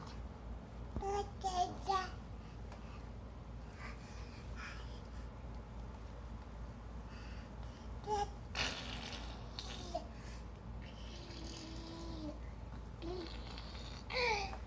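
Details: A male fox crawls around making odd, short whining and chattering calls, apparently for his own amusement, over a steady low background hum; recorded 31 July 2017.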